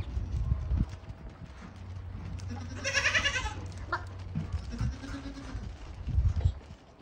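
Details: Yemeni goat giving one loud quavering bleat lasting nearly a second, followed by a fainter lower call, with a continuous low hum and scattered knocks in the background.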